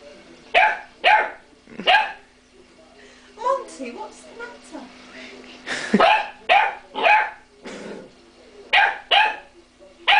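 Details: A pet dog named Monty barks indoors at a cream pot, loud sharp barks in pairs and triplets, with a softer whining, rising vocal passage midway and a steady low hum behind.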